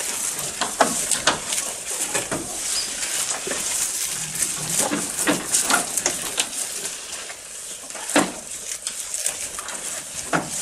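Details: Feeding goat heard near the microphone: sharp, irregular crunching chews and brittle clicks in quick bursts, with a faint high hiss throughout.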